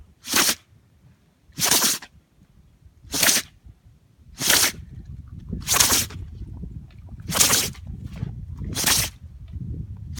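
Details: Shishi, a Shikoku dog, caught in a sneezing fit outside in strong wind: seven short, hissing explosive bursts, one roughly every one and a half seconds, with faint rustling and low background rumble between.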